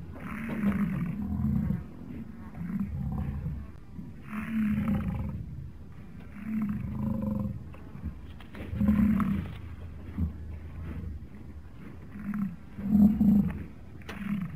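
An American bison gives deep, rumbling roars, each about a second long, repeated every few seconds.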